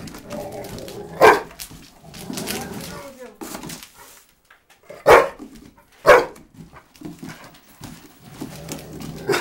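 A Rottweiler gives short, harsh barks a few seconds apart while a person talks nearby.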